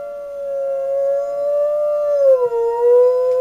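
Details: Sierra, a dog, howling alone on a porch at the fire whistle: a steady, clear sustained tone that dips slightly in pitch near the end, rich in harmonics.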